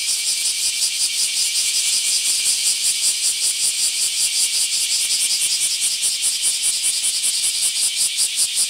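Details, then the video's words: A swarm of bear cicadas emerging in large numbers in an Akashi city park, Japan, on July 23, filling the air with an unbroken shrill droning that throbs in fast, fairly regular pulses, nothing else audible. "明石 クマゼミの鳴き声"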